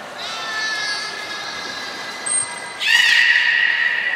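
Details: Belugas Gray, Mirai and Nico being trained at Port of Nagoya Public Aquarium, 16 December 2018: a long, steady, reedy harmonic tone, a brief thin high whistle, then a louder, richer sustained tone that sweeps in abruptly.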